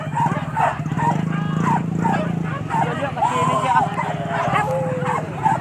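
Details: Pack of dogs chasing wild boar at Kayu Ampek, Tanjung Emas, Tanah Datar, giving quick excited yelping barks mixed with human voices and a constant low hum.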